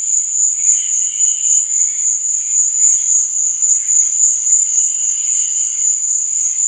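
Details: Night-time crickets keep up a steady shrill wall of fast chirping, overlaid by softer, lower buzzy trills that swell briefly around the first and fifth seconds.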